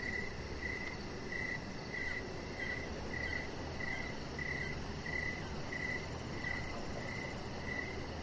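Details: Crickets chirping in the evening beside a deck where a chihuahua lies: short mid-pitched chirps repeated about every two-thirds of a second, over a steady low rumble and a faint rapid high ticking.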